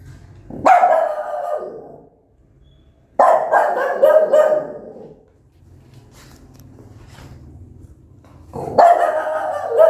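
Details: Mother dog barking loudly and angrily at her newborn puppies; three long, raspy barks, each with a drawn-out tail, spaced about three to four seconds apart over a low hum.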